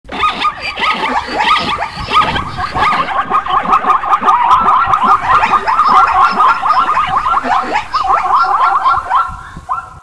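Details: Plains zebras (Equus quagga) give harsh, yelping barks in quick, uneven runs, several voices overlapping.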